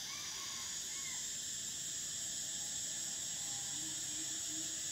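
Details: Unbroken shrill droning of summer cicadas fills the air, layered over faint, wavering lower notes from other distant callers.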